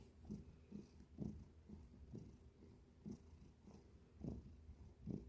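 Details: A domestic cat purrs, a low rumbling sound pulsing about once a second.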